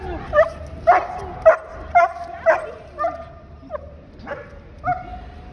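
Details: Bernese Mountain Dog at an airport, excited on recognising its owner after a week away: high whining yelps repeated roughly twice a second, each a short bright cry, with people talking nearby.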